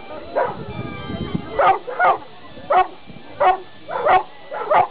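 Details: Newfoundland dog giving a run of deep, short barks, singles and quick pairs, spaced roughly every half second to second, over a quiet room background with faint talk at the start.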